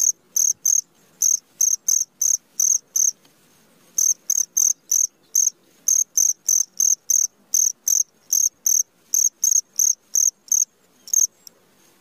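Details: Cricket calling at midnight: loud, high-pitched chirps in short bursts about three per second, with brief pauses between runs, over a quiet background.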